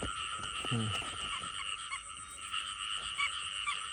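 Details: Frogs heard during an outing to search for frogs: a steady, shrill, unbroken chorus of layered high tones, with one short, low, buzzy croak early on and faint rustling underneath.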